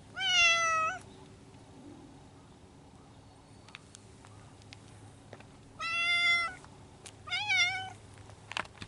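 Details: Spring courtship among feral cats living in the mountains: three strained, nasal yowls with stacked harmonics, the first about a second long, then two more wavering wails after a long quiet gap, over low steady background hum.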